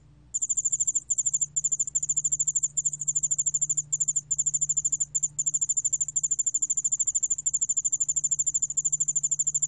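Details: After a moment of quiet, a yeoul-allak-bangul-beolle cricket, recorded in 2020 by Korea's National Institute of Biological Resources, starts a shrill, rapidly pulsing trill broken into runs by brief gaps, over a low steady hum.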